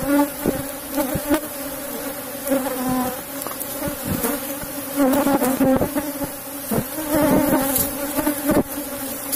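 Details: Box-hive colony of Asian honey bees, opened for honey harvesting, giving a continuous low, tonal buzz that swells and eases, punctuated by frequent clicking and knocking noises from the frames.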